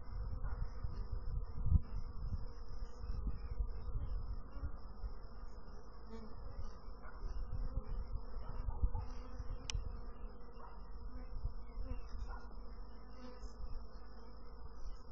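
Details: Bees heard as a long, unbroken low drone, a steady humming mass of buzzing with occasional faint clicks and small swells in loudness.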